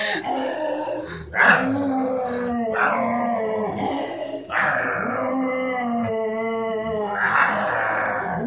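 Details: Miniature Schnauzer kept as a pet, growling in a run of rough-edged moaning growls, each starting with a harsh breathy burst and then settling into a steady tonal drone that dips and rises.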